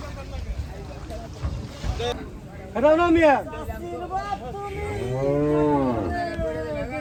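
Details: Gaiya cow on a cattle farm lowing twice: a short, rising-then-falling moo around three seconds, then a longer, deep, arching moo held for over a second, with people talking and background noise.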